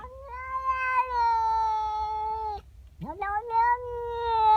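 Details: House cat, a female, angry about another cat in her garden in the morning, gives a sustained moaning yowl of over two seconds that falls slightly, then after a brief gap a rising, upward-bending wail begins and holds.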